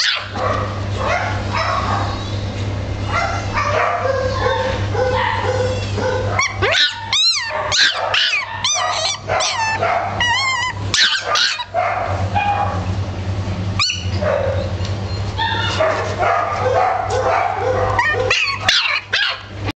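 A Boston Terrier vocalises in bursts of short barks and high yips, with some drawn-out, wavering whines rising and falling in pitch. A constant low hum runs beneath throughout.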